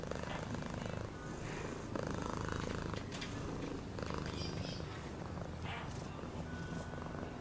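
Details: Purring cat producing a deep, pulsing rumble with breathy louder phases, accompanied by light tapping clicks and faint high tones.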